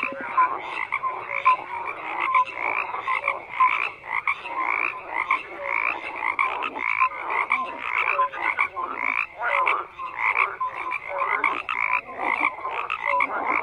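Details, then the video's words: Dense frog chorus of croaking, many voices overlapping in rapid pulsed bursts and brief higher tonal blips, loudness rising and falling in waves over a constant background of calling. "FROGS CROAKING"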